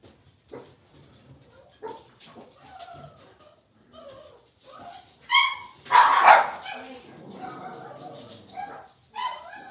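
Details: Five young Blenheim Cavalier King Charles Spaniel puppies in their new, larger pen yip and bark in uneven bursts, with a loud high squealing yelp near the middle and whiny calls around it.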